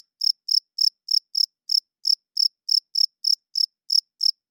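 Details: Cricket calling at night, a male rubbing its wings together to attract females and hold territory; bright high chirps repeating roughly every third of a second, steady and unaccompanied by any other noise.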